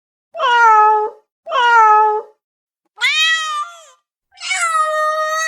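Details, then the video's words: Cat demanding immediate attention: two matching falling meows in quick succession, then a higher arched meow and a long, steady, strained final cry. "SOM DE GATO MIANDO"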